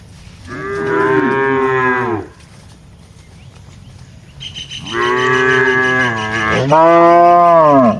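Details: Cows roaming a broad plantation while being herded, lowing as they feed; a short harmonic moo, a pause, then a longer, louder bellow that rises and falls twice.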